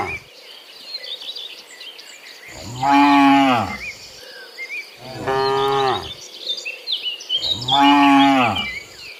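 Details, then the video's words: Cows coming back from the field into their pen on a morning, three loud harmonic moos about two and a half seconds apart, against a bed of bird chatter and insect calls. "Sound Dozens of Moo Cows in the Morning, Returning from the Field to the Pen, the Sound of Cows"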